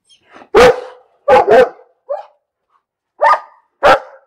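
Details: Dog barking in an uneven series: a loud bark, a quick double bark, a softer short yelp, then two more sharp barks, with brief quiet gaps between them.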